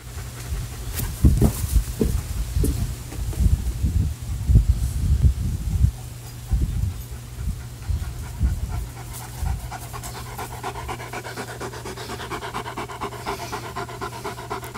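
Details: German Shepherd named Ruger panting while playing with a Jolly Ball Tug n Toss ball; rapid low breathy pants in a burst over the first six seconds, then quieter, with a steady low hum beneath.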